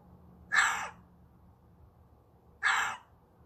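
A fox gives two harsh, raspy barks about two seconds apart.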